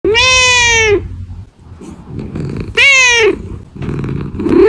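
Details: Kittens at Reebonz Cattery, British Shorthair cats, meowing: two loud, drawn-out harmonic meows about a second each, the second falling in pitch at its end, with a softer faint cry between them.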